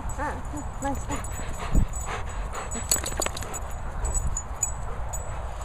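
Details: Pointer Gizmo with Golden Retriever Maizey, two dogs being affectionate together; a few short, high whimpers with wavering, curving pitch in the first second, followed by scuffling, rustling and broadband noise.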